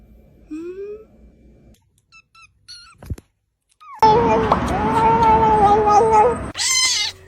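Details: Domestic cat indoors in a small room: a few faint chirps, then a loud, drawn-out, slightly wavering meow over a noisy background, ending in a brief rising squeal.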